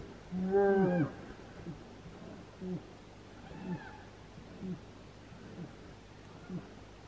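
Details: Brown bears fighting in the wild in Finland, July 2018: one strong, harmonic roar near the start, then only faint, short grunts spaced about a second apart over a low background hum.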